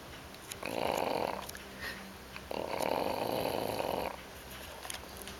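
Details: A female English Bulldog puppy, tired after a busy Fourth of July cookout, snores in two long, rasping breaths, each lasting over a second and a half.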